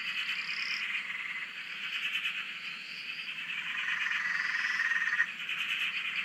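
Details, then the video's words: Frog chorus recorded from a shack on a dam in Australia: dense overlapping pulsed trilling from many frogs, steady and continuous, with higher whistled notes sliding through now and then. "Frog Chorus- Australia"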